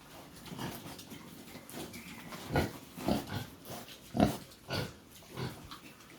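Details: Native pigs on a farm, said to be at weaning stage, giving short low grunts in irregular bursts roughly every half second to second, the loudest between two and five seconds, over a steady background rustle.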